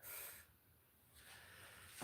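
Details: Captive Gaboon viper, a docile female, giving its huffing warning hiss to signal its presence and that it wants to be left alone, not to bite: two breathy, airy bursts, one short and one longer, separated by a quiet pause.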